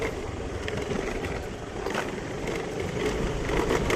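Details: Urban traffic noise with idling engines and passing vehicles, a steady broadband rumble with brief louder surges; no animal sound is heard.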